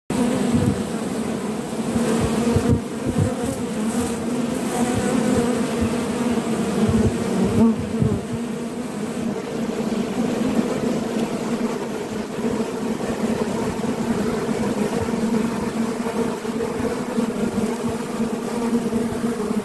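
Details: Honey bees, including a forager carrying sticky orange propolis on its legs, hum in a steady low drone with two strong bands of tone that hold for the whole stretch, plus brief louder flutters near the start and around seven seconds.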